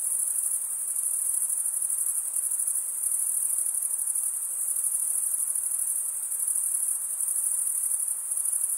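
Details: Stridulating crickets produce a continuous high, tinny trill with gentle waves in loudness every second or so and a faint hiss in the background, uninterrupted throughout.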